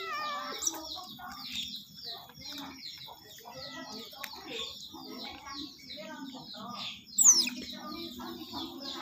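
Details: Otter at feeding time giving a steady stream of rapid high-pitched chirps and twittering squeaks, with a sharp, louder squeal near the end.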